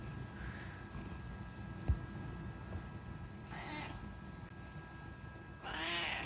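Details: Unagi, a talkative rescued house cat, gives a short meow midway and then a longer, louder, harmonic-rich meow at the end, over a low steady indoor hum.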